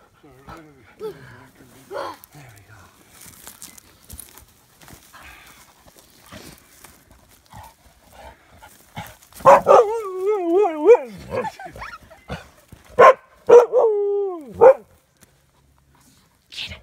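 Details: White, odd-eyed Siberian Husky on his first elk-hunting camping trip, reacting to an elk head: a long wavering, falling howl-whine, then several shorter yodelling whines. A person talks quietly before and around the calls.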